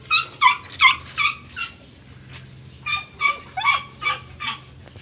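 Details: German Shepherd at a stud session, giving urgent whimpering yelps in two bursts of five or six, each note bending downward, separated by a short quiet gap.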